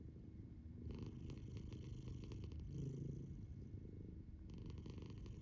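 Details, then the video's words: Sleeping female house cat, eyes open, snores in a low, rough rumble that comes in slow breath-paced surges, with faint hiss on each breath. The room is otherwise quiet. "My cat is snoring with her eyes open"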